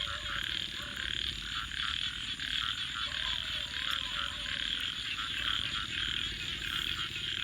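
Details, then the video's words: Frogs calling at night beside a crackling campfire: a dense, steady high-pitched chorus of rapid pulsed trills, with sharp fire crackles and pops scattered throughout. "Virtual Campfire with Crackling Fire 🔥 and frogs 🐸 Sounds continue"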